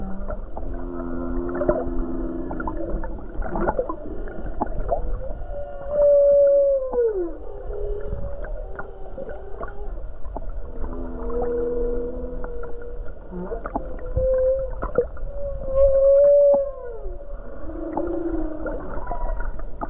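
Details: Humpback whales near the coast of Hawaii on a calm, beautiful day, with many whales around. They sing repeated phrases of low layered groans and higher drawn-out whistled moans that slide downward, over a constant low water hum.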